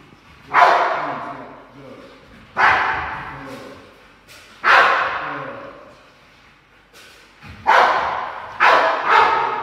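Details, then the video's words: Ten-month-old Rottweiler training in 360 protection foundation, producing about six loud, coarse barks spaced roughly two seconds apart, the last three in quicker succession, with a voice faintly in the background. "Rottweiler Zorro 10 Months Old 360 Protection the Foundation"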